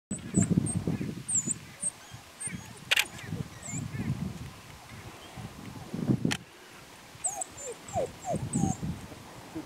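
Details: African wild dog pups begin their greeting ceremony at sunset in Laikipia Conservation area, Kenya; high, thin twittering chirps come in scattered bursts over rumbling low sounds, human voices and a couple of sharp clicks.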